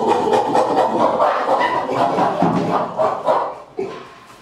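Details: A male chimpanzee, hair on end and standing bipedal, pant-hoots in rapid, rhythmic breathy hoots as an intimidating display shortly after a small fight among chimpanzees ended, letting off steam.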